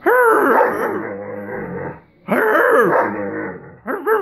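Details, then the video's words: Irish Wolfhound asking to play while staying down, with two long, loud, wavering groans full of bending tones, separated by a short quiet gap, and a brief final grumble. "Discussion with an Irish Wolfhound"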